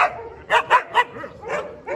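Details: Dobermanns at a large kennel: a run of sharp, bright barks, three quick ones close together, then softer barks spaced farther apart across two seconds.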